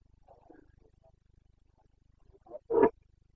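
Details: Rutting Carpathian stag, a red deer of Bucovina, in the breeding season (boncănit) on 29 September 2022. Faint low mutters give way to one short, loud, hoarse bellow near the end, over a quiet steady rumble.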